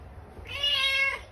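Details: Cat in a short funny clip about cat fight sounds; one drawn-out, slightly rising meow lasting under a second over a low background hum.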